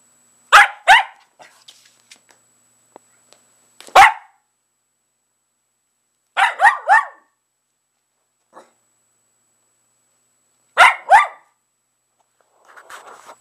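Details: Playful barking from a dog that has claimed a pair of old shoes, with scattered bursts of two to three sharp barks separated by pauses, plus faint soft rustles and a few small knocks between them.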